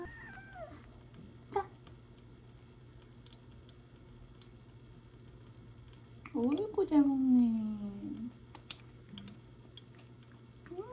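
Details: Jelly, a seven-month-old Ragdoll kitten home on the first day after hospital treatment for feline peritonitis, meows indoors after an injection and while eating: one drawn-out falling meow after a faint short cry, with a steady low hum.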